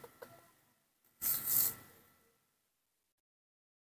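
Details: A few faint clicks are followed by a short hissing scrape of about a second, then silence.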